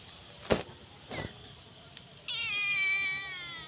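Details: Starving stray kitten with eyes crusted by dried pus, crying from hunger: after a few taps and a quiet pause comes one long, loud, slightly falling meow held over a second.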